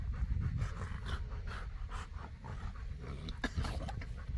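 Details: Boerboel, or South African Mastiff, from the pair Enzo and Diva living in Egypt, panting with breathy broadband huffs about twice a second over a low rumbling background.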